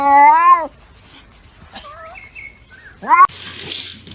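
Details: Domestic cat giving a loud drawn-out meow with rich harmonics that dips at the end, followed by faint chirpy sounds and a second shorter rising meow cut off abruptly, then background noise.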